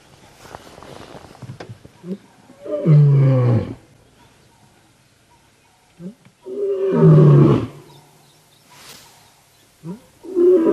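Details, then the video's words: Male lion known as the Birmingham male roaring at sunrise on 19 September 2016 as a loud good morning on a live safari broadcast; deep moaning roars at roughly three to four second intervals, with faint human speech early on. "Birmingham Male Gives us Loud Good Morning"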